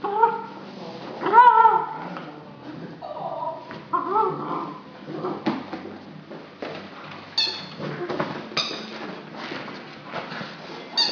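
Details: Irish Setter puppy, a nine-week-old female with a fresh toy: wavering whines and little yelps early on, followed by scattered sharp squeaks from the toy and handling noise.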